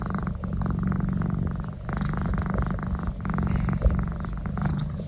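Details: A domestic cat purrs steadily while enjoying a neck massage, a deep continuous rumble with a rapid throbbing pulse.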